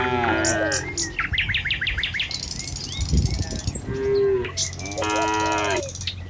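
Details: Cattle herd moving along a village road to the pen in the morning; brief lowing calls at the start and a sustained moo near the end, with birds chirping and rustling hoof noise between.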